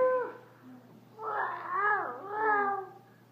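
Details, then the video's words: Female dog indoors at a friend's house, vocalizing oddly while trying to get out before being let outside: one short whine, then drawn-out, wavering, yodel-like moans. A person talks quietly nearby. "Dog Barks really sadly when Trying to Escape!"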